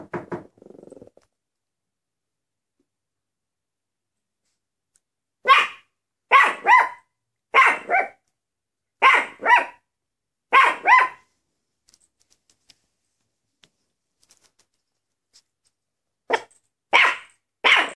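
A Maltese gives sharp, high-pitched barks, mostly in quick pairs, separated by short silences.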